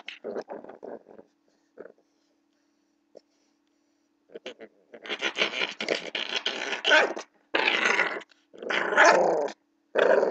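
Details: Blue pit bull puppy play-fighting with a person indoors: a few short scattered grunts, a pause, then a run of rough, raspy growls in quick bursts, rising in intensity toward the end.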